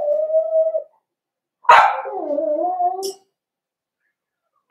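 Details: A four-week-old Cavalier King Charles Spaniel puppy in an indoor pen whines in a steady, level tone. Then comes a sharp yelp that trails into a wavering, drawn-out whimper with two pitches at once.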